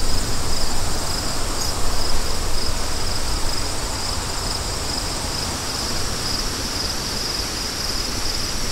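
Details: Crickets chirping in quick, even pulses of high, thin trills, laid over a strong, steady rush of low wind that dominates the background.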